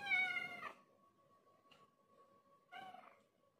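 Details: Affectionate village cat, a formerly wild adult now tame, winding around someone's legs like a snake, gives a loud clear meow, then a softer second meow after a pause of about two seconds, with a steady background hum.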